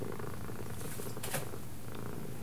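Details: A pet cat that responds to the words left and right purrs in a steady low rumble throughout, with a brief sharp click near the middle and faint room noise.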